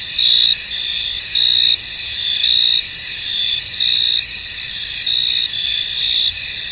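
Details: In a misty field, crickets produce a bright continuous high drone, with swelling chirp bursts recurring at near-regular intervals.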